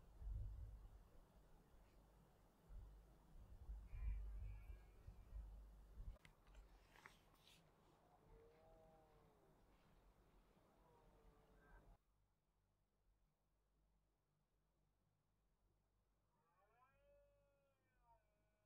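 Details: Red deer (Cervus elaphus) stags bellow with deep, drawn-out groaning roars during the autumn rut over gusty wind, recorded in the Cantabrian Mountains, Spain, in 2023, partly in the afternoon.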